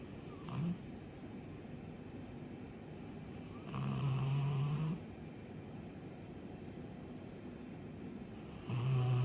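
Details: Asleep, a young female Labrador Retriever named Chappy, two years old, gives heavy low snores: a short one at the start, a long drawn-out rumble near the middle, and another starting at the end, over steady soft background hiss.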